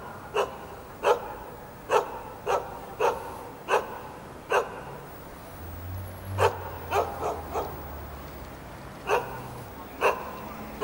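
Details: Jindo dog on a building rooftop in Jeonju, North Jeolla Province, Korea, barking to greet visitors: sharp single barks repeated about every second, with a pause mid-way and low traffic rumble beneath.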